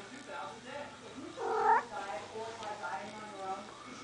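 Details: Tonie, a pet cat demanding food, gives a short loud wailing meow amid a person's repeated questions about what it wants.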